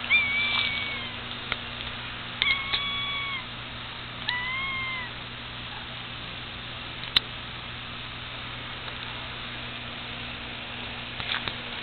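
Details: Jethro, a pet cat with @-shaped markings on his sides, gives several short tonal meows early on, each bending up then down, followed by a long quiet stretch with steady background hum and one sharp click.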